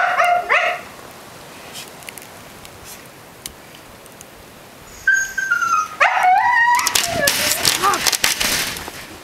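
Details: Young Siberian Husky Mica screams to be let out again into the snow of Blizzard Nemo, Belmont, MA, morning of 9 February 2013; a short wavering yowl, a pause, then a thin held whine and bending cries amid rustling noise.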